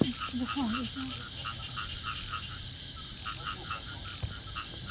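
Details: Frogs chorusing loudly in a rice field behind a house: rapid, overlapping, clipped croaks pulse continuously, with a brief wavering lower tone near the start.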